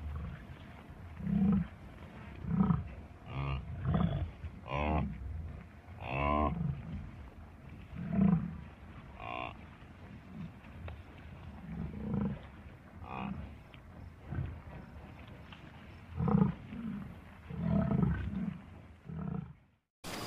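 A buffalo gives deep, rumbling growls and low grunts in irregular bursts.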